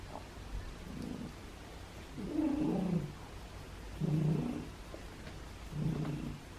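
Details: Thin, formerly feral male domestic cat on day 26 of recovery, purring indoors while offered food and petted; low rumbling purr swells in bursts about every one and a half to two seconds, with quiet room noise between.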